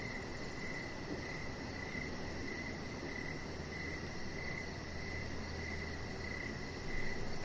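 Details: Crickets heard in the evening outside on a deck where a chihuahua puppy rests, keeping up a regular high pulsing chirp, layered over a low steady hum, with a brief louder noise near the end.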